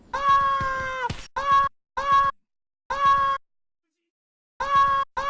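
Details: A very angry desert rain frog gives shrill, tonal squeaks, its war cry, one long and several short, like a squeezed dog toy.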